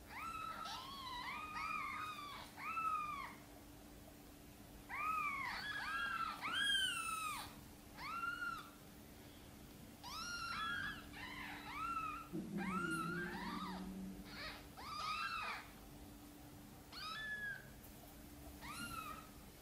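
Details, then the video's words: Mother cat Sonny asking for help to bring her tiny kittens into the nest, gently meowing. A steady series of short, arched, high meows, often in pairs or triplets, comes every second or two, with a brief low rustle midway. "Mother cat is gently meowing, asking for help to bring her tiny kittens into the nest"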